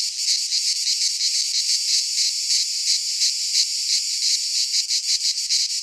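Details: Midsummer cicada chorus recorded in a pine forest in Greece, a shrill unbroken buzz pulsing about three times per second with slight swells in volume.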